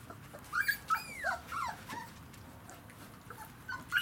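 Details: Puppies aged three weeks and five days, Kicsi x Yeltsin litter, first day in a kennel: a few loud, curving high whines in quick succession, then a quieter pause before one more sharp squeal at the end.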